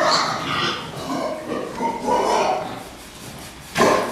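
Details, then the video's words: Pigs kept for fattening on a farm: a chorus of overlapping, whining, tonal squeals that waver up and down, then a short harsh grunt burst at the end, with faint voices behind. "prasata výkrm"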